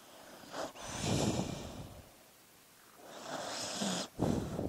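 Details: A sleeping dog breathing noisily, two long rasping breaths with snorting, each drawn out for about a second and separated by a quiet pause.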